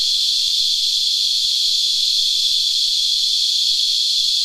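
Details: Cicadas drawing fluid from a tree produce a dense, constant high-pitched whine, a sap-sucking insect chorus called Christmas beetles locally, steady in loudness with only faint ticking beneath.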